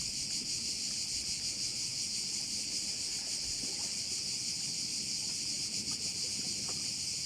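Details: A bay on the Croatian island of Korčula rings with crickets: a bright, almost seamless high buzzing wall of sound with only faint pulsing and some low background murmur.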